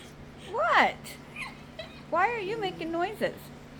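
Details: Windsor, a pet dog, making weird noises he has never made before while being given affection indoors; high, whiny vocalisations that rise and fall, in a short burst then a longer wavering run, with a person talking over them.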